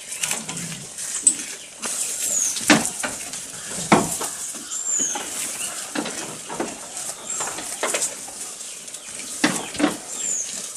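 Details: A goat feeding at close range: crisp snapping crunches and rustles of chewing come irregularly throughout, while a few faint high bird chirps are heard in the background.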